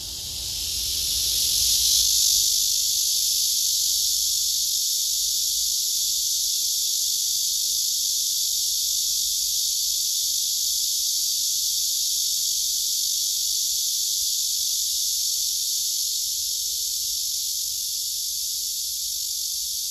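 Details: Male cicadas on a tree, one singing with wings spread and abdomen raised while rivals nearby are pushed away: a dense, continuous high buzzing hiss that swells early and then holds steady throughout.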